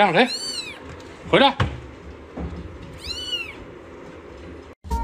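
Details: Big-faced family house cat with kittens indoors: two clear, high, bowed meows about three seconds apart, with short bursts of a woman's Mandarin speech and a faint background hum.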